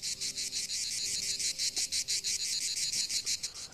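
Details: Male cicada singing from a branch with good acoustics, vibrating its membranes rapidly; hollow body resonates so females hear it far off, inviting them to mate. Continuous high, harsh buzzing in rapid pulses, about three per second, steady throughout.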